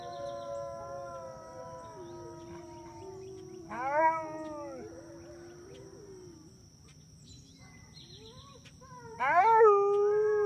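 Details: Wolf taking part in a pack howl, long steady and gently falling howls overlapping, with a sharp rising wail near four seconds and another strong rising howl near nine seconds, faint constant tone behind.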